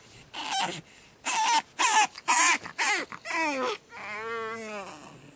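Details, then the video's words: Screaming pug puppy on its second night: a fast series of shrill, raspy cries, about two per second, ending in a long, bending wail that slides downward in pitch. "Pug Puppy Screaming"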